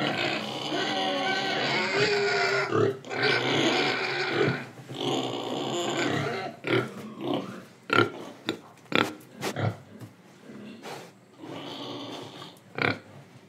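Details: Indonesian pig breathing and eating: a long, harsh, continuous squealing roar for several seconds, breaking into a rapid string of short, sharp grunts and snorts, then a further rasping squeal.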